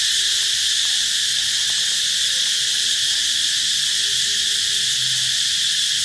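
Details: Cicadas singing loudly, said to announce the coming of summer: a dense, steady, high-pitched shrill drone held without break throughout, with faint low rustling beneath.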